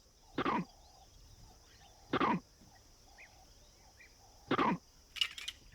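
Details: Vervet monkey giving short, harsh cough-like alarm barks spaced about two seconds apart; troop alarm calls signal danger and whether to climb up or get down from trees.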